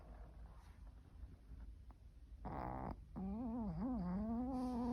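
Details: A dog snoring, its snore likened to a haunted-house sound: faint breathy rumbles, then a loud droning burst and a long wavering, moaning tone that rises and dips in pitch.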